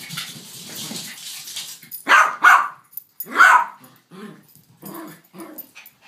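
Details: Domestic dog barking while a Yorkshire Terrier and a King Charles Spaniel are together. A quick pair of loud, sharp barks comes first, then a single bark a second later. Soft shuffling and quieter sounds follow.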